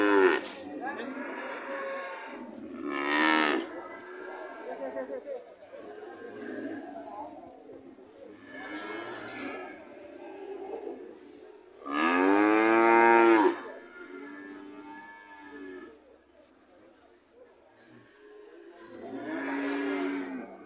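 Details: Red cattle in Indonesia: mixed lowing throughout and one loud, rich moo lasting about a second and a half midway, plus a later rising call, against a constant hiss.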